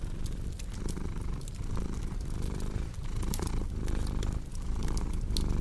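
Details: Relaxing cat purr with crackling fireplace: deep steady rumbling in repeated inhale-exhale pulses, accompanied by crisp pops and snaps of burning wood.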